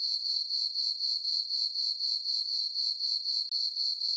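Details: On a moonlit summer night in a farm meadow, crickets keep up a high, sharp, pulsing chirp, about four regular beats per second, with a short break midway and no other noises.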